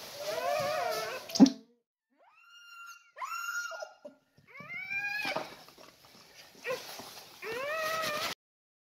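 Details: A female Siberian Husky giving birth to puppies gives high, wavering whines and short howls in separate bursts, with brief pauses between them.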